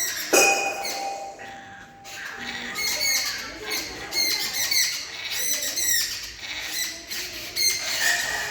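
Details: Kali, a cat, crackling at birds: rapid stuttering high-pitched chatter in quick bursts, a steady tone near the start, busy harmonics repeating through the clip.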